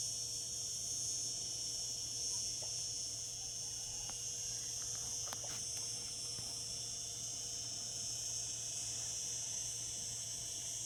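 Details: Summer chorus of singing cicadas: a continuous shrill, hissing buzz that stays level from start to finish, with a few faint clicks partway through.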